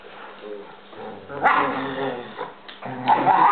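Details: German Shepherd Chief and Basset-Lab mix Pepe playing indoors; a low growl builds into a louder harsh bark and grumbling vocal bursts, a woman speaking between them.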